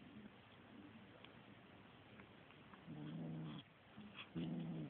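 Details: Little kitten growling while attacking a feather toy indoors: two low, harmonic growls of about half a second to a second each near the end, over a faint steady hum and soft rustling.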